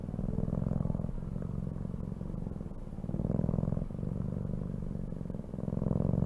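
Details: A cat purrs continuously, a deep vibrating rumble with a fast, even pulse, rising and falling in loudness roughly every two to three seconds.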